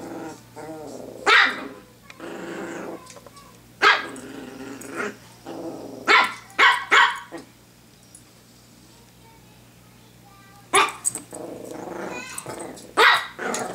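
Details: Pet Pomeranian named Honey at play indoors with a hair clip, giving sharp yappy barks in pairs and clusters with growly rumbles between them, a woman talking to her in the background.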